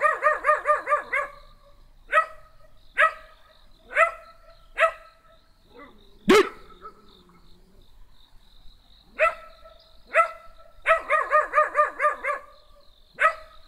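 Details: Small black dog giving bright yapping barks, quick runs of five or six alternating with single barks spaced about a second apart, one sharp knock near the middle.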